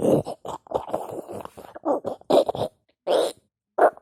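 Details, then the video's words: A pug growling in a series of short, rough, low-mid bursts, several clustered together over the first two seconds, then spaced single grumbles with brief silences between them; no other sounds stand out. "Sounds of a demonic pug"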